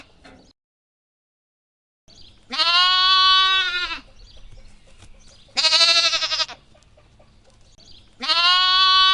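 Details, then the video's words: Lamb bleating three times, each call loud, buzzy and harmonic, lasting about one to one and a half seconds and separated by a few seconds of faint rustling, after a brief silent stretch at the start. "What does a lamb sound like? | Real lamb sound"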